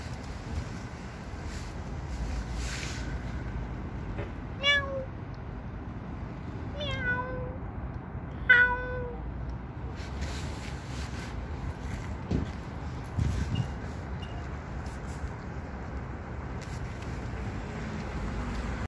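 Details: Black cat with a white chest patch giving three short, clear meows a couple of seconds apart, each falling slightly in pitch, over a steady low background hum.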